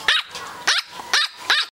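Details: Teacup Lhasa Poo pup, twelve weeks old and 18 oz, lets out four shrill, clipped yaps spaced roughly half a second apart, then falls silent.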